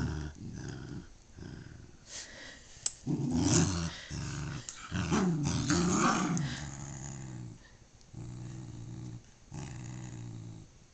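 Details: Darla and visiting friend Jazzy, two dogs, growl fiercely while tugging Darla's favorite toy at a sleepover. Deep, throaty growls come in long bursts of several seconds, swelling louder mid-way, separated by short pauses and scuffling noises.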